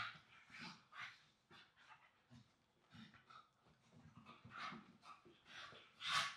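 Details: English Staffordshire Bull Terrier siblings, pups wrestling and rolling on a soft blanket indoors; a run of short, breathy growls and huffs in irregular bursts, with panting between.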